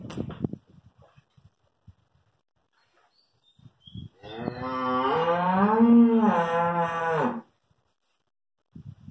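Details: Hallikar stud bull with two teeth at Thattikere gives one long, full moo of about three and a half seconds, rising then sagging at the end, with soft knocks and rustling before and after.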